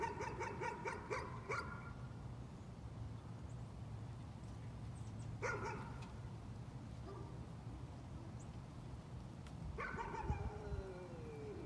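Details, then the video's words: Dog in a bout of nuisance barking: a quick run of sharp, harmonic-rich barks at the start, then a short burst midway and another cluster near the end, over steady low background rumble. "Nuisance barking again."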